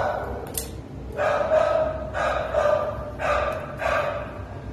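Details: Treeing Walker Coonhound named Pluto, awaiting adoption in November 2019, bays in drawn-out, tonal barks, about four held notes spaced roughly a second apart, with a short sharp sound just before them.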